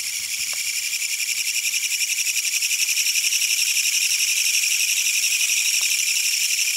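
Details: A Korean katydid sings on an August 21, 2022 night in Fukuchiyama fields while night-singing insects are being searched for. It gives a loud, harsh, rapidly pulsing buzz that runs on without a break.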